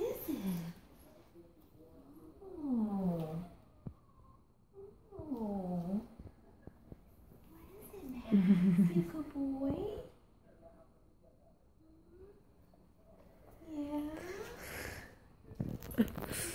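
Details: Golden Retriever Max, three years old, whimpering indoors with excitement at first meeting his two-day-old baby sister; high tonal whines slide down in pitch in repeated bursts, with soothing human speech between them.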